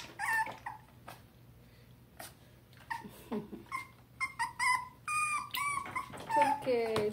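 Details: Murphy, a Dachshund puppy being bathed at home in Tampa, Florida, gives short, bright whimpers and squeaky whines, several rising then falling in pitch, with gaps between bursts, while a person speaks reassuringly in a small room.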